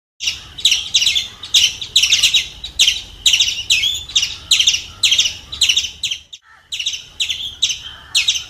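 A squirrel gives sharp, high chirping chips, repeated a little more than twice a second.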